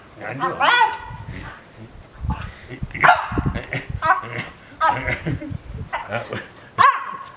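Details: Two house French Bulldogs, John and his sister Bon, compete for the attention of a visiting younger brother, giving a run of short, high, nasal yips and whiny yelps spaced about a second apart, mixed with human chatter and laughter.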